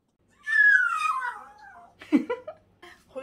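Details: Brown female Poodle in temporary foster care, rescued from an animal hoarder's apartment in Mapo-gu with 18 other poodles, anxious and clinging to the man of the house: one long whine sliding downward, followed by short broken sounds and indoor noises.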